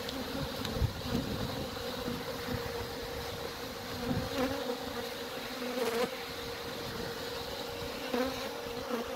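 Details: Thousands of honey bees being removed from a cottage chimney in a Shropshire village, England, a colony that had blocked it with comb, hum in a steady drone with a bright tone near 500, crackles and knocks over it.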